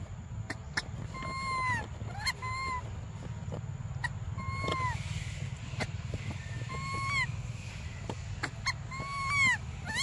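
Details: Baby Briar, a monkey, crying for milk: short, bright, arched whistled cries scattered among clicks and knocks, coming in small clusters every second or two against a constant low hum.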